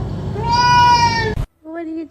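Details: Domestic cat giving a long, steady, tonal meow held for about a second, then a shorter, softer second meow after a brief silence; indoor setting with people talking nearby.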